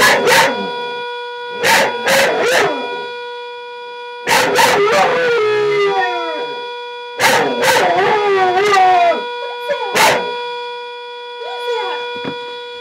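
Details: A two-year-old Border Collie howls, as every morning, in wavering, rising-and-falling bursts over the steady shrill whistle of a tea kettle.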